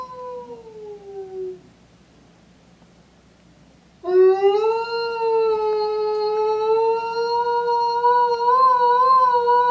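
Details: Eastern timber wolf Yuki, a five-year-old male at Tokushima Zoo, Japan, howling on a January afternoon: a brief falling howl, a quiet pause, then one long, steady, slightly rising howl, rich in overtones, that wavers near its end.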